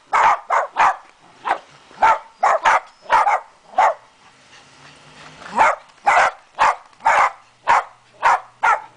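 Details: Dachshunds barking while meeting a Dachshund Santa: steady bursts of sharp barks, often in quick pairs, keep going across the whole stretch with short quiet gaps between them.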